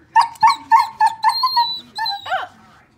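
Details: Border Collie, a pet dog trying to play with a statue it takes for a real dog, giving a run of six short high whines with harmonics, then a longer falling whimper; a woman speaks softly before and after.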